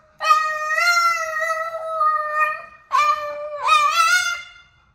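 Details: Very vocal Boston terrier singing: one long, even howl that fades out, followed after a short break by a wavering howl with a quick upward inflection partway through.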